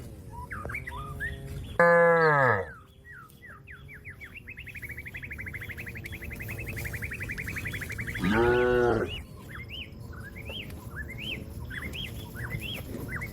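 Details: Cattle calling its companions to come home to the pen: two loud, deep harmonic moos, the first short and the second lower-pitched, about six seconds apart, with frequent chirping and twittering birds throughout.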